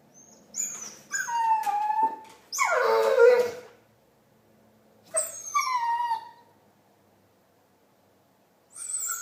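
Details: Marley, a pet dog, making funny noises and a chewbacca-like sound: wavering, whiny, rising-and-falling vocal bursts, one rough growly burst near three seconds, each burst separated by short silences.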